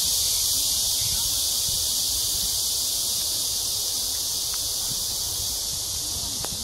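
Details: Cicadas in a riverside ecological park in Seoul, South Korea, early evening in hot July weather, 2021; a piercing, continuous buzzing hiss dominates, with a few faint brief low sounds in the background.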